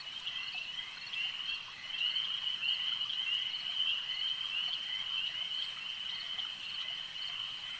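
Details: Frogs calling at a lake: a dense, steady high-pitched chorus of overlapping trills with faint clicking notes, growing a little louder after the first two seconds, with no other clear sounds.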